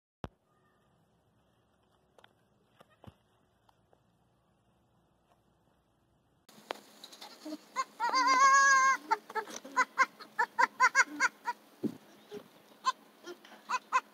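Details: Baby goats: a few faint clicks, then one long wavering bleat with clear harmonics, followed by a run of short, sharp repeated sounds at roughly even spacing.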